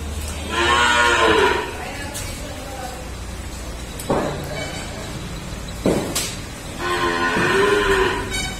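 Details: A Jafarabadi buffalo, nine months pregnant, on a dairy farm in India gives two long, deep, harmonic moos, one at the start and one near the end. Dull thumps and knocks are heard between them.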